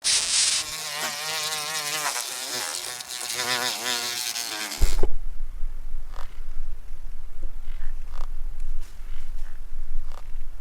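A stag beetle gives a buzzy, wavering drone for a few seconds, followed by low rumbling and faint clicks.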